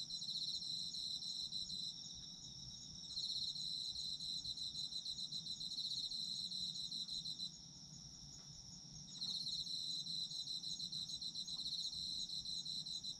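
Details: Chorus of autumn insects with dense high trills and a continuous ringing tone underneath. The pulsing layer drops out twice, briefly near the start and again midway, then resumes at full strength. A soft low background hum runs throughout.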